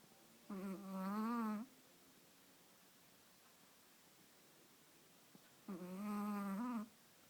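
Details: A Chihuahua napping while being held, snoring: two drawn-out, droning, harmonic snores of about a second each, some five seconds apart, with a faintly wavering pitch and quiet indoor stillness in between.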